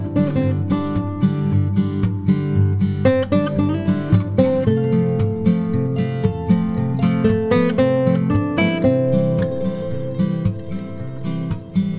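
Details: Loud strummed acoustic guitar music plays throughout, with plucked chords and no animal voice.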